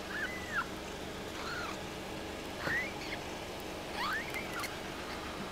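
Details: A Munchkin kitten on its day of birth, 20 May 2016, at a cattery gives thin, high mews that arch up and fall, a few seconds apart.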